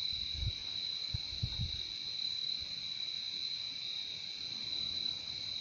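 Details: Many crickets trilling together in a constant high-pitched drone that never breaks, a weaker lower band alongside, with a few soft low bumps early on.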